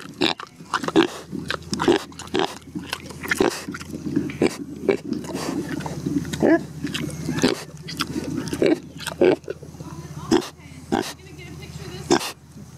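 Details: Nest-building pig named Neil snuffling and grunting in short low bursts roughly every second, with crackling and rustling of bedding material and chewing-like clicks throughout.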